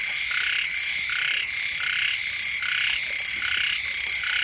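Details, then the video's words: Early-rains frog chorus close to a house. Many frogs give harsh, pulsing croaks in quick alternating bursts, nearly continuous, over a high steady whine. "เสียง กบ เขียด ร้อง อยู่แคมบ้าน"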